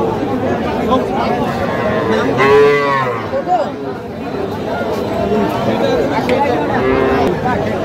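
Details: At a crowded Madaripur market in Bangladesh on 9 August 2025, among small bulls and heifer calves being sold, one cow gives a strong, bending low moo early on, followed by fainter lowing, under continuous chatter.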